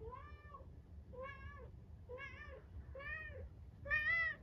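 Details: Harpo, a 13-year-old pet cat and cancer survivor, meows while bringing his toy sea monster: five rising-then-falling meows, roughly one per second, clear and tonal over a quiet indoor background.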